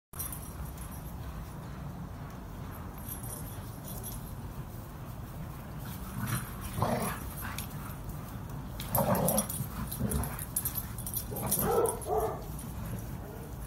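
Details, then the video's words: Dogs playing with each other in a garden, rough play: a steady low rumble of growling runs underneath, broken by short harmonic yips and whines in bursts around the middle and end. "Dogs Playing with Each Other in the garden| rough training"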